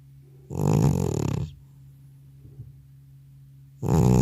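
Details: Sleeping old male cat, exhausted following a vet visit, gives loud rattling snores indoors: one long rough inhalation near a second in length, a faint breath during the pause, then another loud snore starting.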